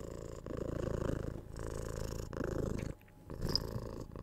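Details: Kitten aged six months purring during cuddles and head scratches, ASMR-style close recording: rumbling low purr in breath-length bursts, a quiet gap near three seconds, then a small kiss-like click.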